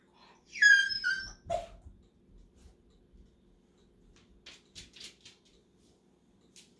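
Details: Male dog left behind during a mailbox trip: a short, loud, descending whine near the start, then a lower brief whimper, followed by quiet taps and clicks.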